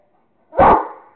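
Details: A Rottweiler named Kingston barks once while playing with a squirrel: a single loud, sharp bark with a short fading tail, clean and close.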